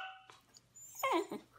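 A Pembroke Welsh Corgi puppy answers its owner with a short wavering whine that slides downward in pitch.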